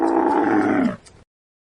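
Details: One drawn-out camel grunt, a deep harmonic groan about a second long that sags in pitch before cutting off abruptly.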